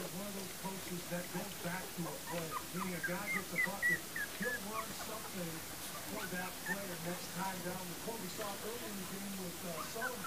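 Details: From Libby and Hoops' litter born January 28, 2012, a group of puppies keeps up steady, overlapping whines and thin yelping squeaks, short wavering cries following one another rapidly, with some louder high yips in the middle.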